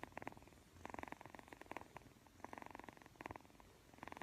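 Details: Persian kitten purring while yawning and playing with a camera; soft rhythmic pulsed purring in bursts of about half a second to a second, alternating with brief quieter gaps, steady throughout.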